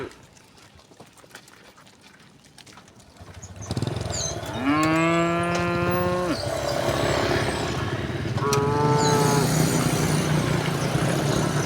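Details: Village cows heading in a row up a path to a green hill: after a quiet start, a loud drawn-out moo is followed by a shorter second one, over a steady low rumble.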